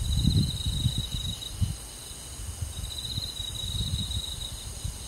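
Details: Summer-night crickets in rural woodland give two bursts of high, shimmering trilling, each lasting one to two seconds, separated by a pause, with a constant low rumble underneath.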